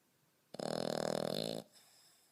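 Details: A 5.5-month-old French Bulldog snoring like a grown man. One loud, rattling, pulsed snore lasts about a second, then fades to faint breathing in a quiet room.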